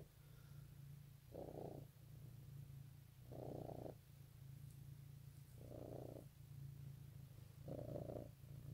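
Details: Cat purrs on Easter morning 2018, a continuous low rumbling drone broken by four louder, airy swells roughly every two seconds, each lasting about half a second.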